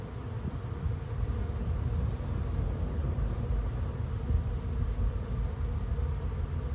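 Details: A honey bee swarm finding a new home fills the air with a dense, continuous low buzzing drone, steady and unbroken throughout, heaviest in the deep register with a faint rough hiss above.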